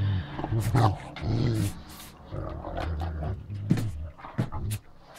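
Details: Great Danes Ole and Oline at home, with bedding being changed: deep, rumbling growl-like grumbles in several drawn-out bursts, low and harmonic, broken by short sharp rustles and knocks.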